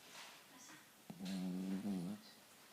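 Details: Cavalier King Charles Spaniel snoring indoors: one rough, throaty snore of about one second with a low buzzing rasp, preceded by a sharp click and faint soft breathing.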